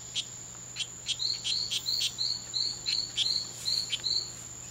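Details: Two male strawberry poison-dart frogs (Oophaga pumilio) fighting at the C.R.A.R.C. reserve, September 10, 2012, during a daytime fight lasting five hours; short high chirps repeat about three times per second, alongside a steady high-pitched background hum.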